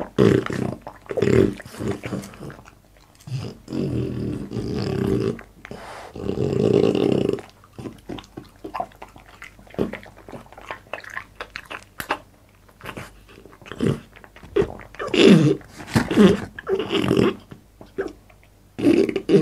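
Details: Boss, a French Bulldog, eating indoors in a small room for an ASMR mukbang: wet chomping and smacking bursts with low growly grunts between bites, some pauses of near silence.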